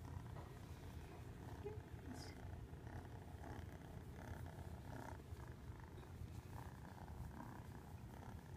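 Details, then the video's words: Fluffy cat purring in a low continuous rumble, the throbbing pulse steady across the recording while faint murmurs and small rustling sounds sit in the background. "Purring fluffy"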